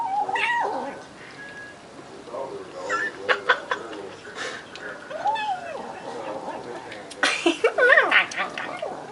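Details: A new kitten eating while being petted makes funny squeaky, growling noises around its food; short wavering meow-like cries rise and fall between people talking, with a louder burst of yowls near the end.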